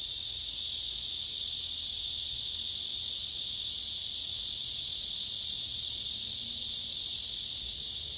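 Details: Blackish cicada male courting an unresponsive female, later rebuffed by her. His song is an unbroken, harsh, high-pitched buzzing drone at constant loudness throughout, with only a faint low background murmur.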